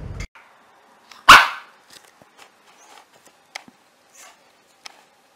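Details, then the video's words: Puppy letting out one loud, sharp bark after a brief thump, followed by scattered faint clicks and small noises in a quiet room. "Cute Puppies Barking"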